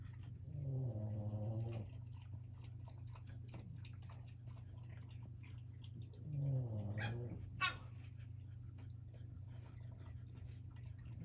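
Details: A litter of Boston terrier puppies at play on a wobble disk toy indoors, giving two low, rasping growl-whines about five seconds apart, followed by sharp knocks and light tapping.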